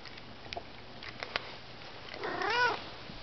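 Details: Indoor domestic cats being given treats; faint clicks and chewing sounds, then a single clear, arching meow rising and falling over about half a second, as a woman talks to the cats.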